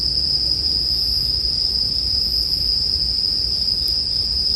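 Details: Bell crickets (suzumushi) chirping in a steady, unbroken high-pitched ring that holds one bright tone throughout, layered over the soft low rumble and occasional faint crackle of a campfire.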